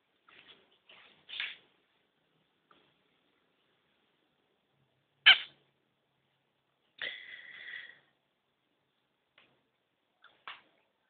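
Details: Male Kintamani dog puppies making soft squeaks, one sharp yelp, then a drawn-out nasal whine of about a second, with quiet gaps between sounds.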